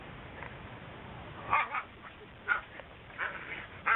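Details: Whippet puppies crying in a series of short, high yelping whimpers, four main cries spaced roughly a second apart, with faint softer squeaks between them over a steady background hiss.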